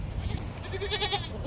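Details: A goat that has just given birth bleats in a short, quavering burst of nasal, pulsed notes over a low background rumble.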